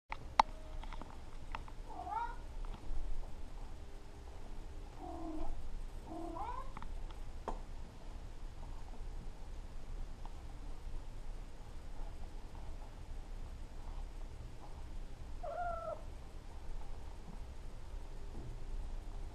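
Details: Two Maine Coon cats indoors, a kitten pestering and play-fighting with an adult female; a few short, soft, bending meows near the start and one more later, over steady low room hum.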